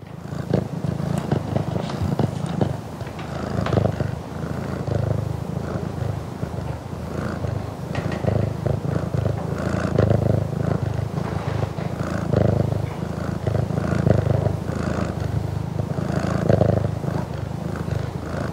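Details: Burmese domestic cat purring close to the microphone at home; a continuous low, rumbling purr with steady pulsing, swelling slightly in and out with each breath, no other sounds.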